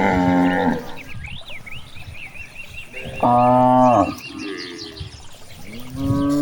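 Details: In a vast rice field, grazing cows moo repeatedly, a strong drawn-out low call in the middle flanked by shorter moos, while small birds chirp high in the background between calls.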